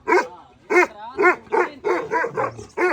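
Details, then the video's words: A grown puppy barking at someone who came outside, guarding strongly; about eight sharp, harmonic-rich barks come in quick succession, some closely spaced, with a low rumble near the end. "मैनू भी भौंकता पाया, बाहर कोई आया उसकी तरफ देखकर भौंक रहा है ये।"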